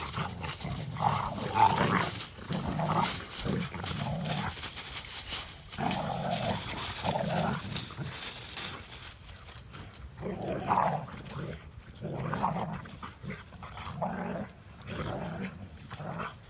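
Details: Two dogs, Kai the Doberman and Maddie the boxer/bulldog, burning off energy in play; rough, low growling bursts come again and again, roughly every second or two, through a steady noisy background.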